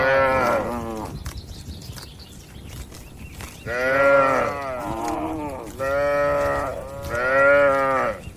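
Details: Dozens of tame cattle in a spacious farm pen give repeated long, wavering moos, three loud ones close together after a quieter opening call, over a steady low background hum.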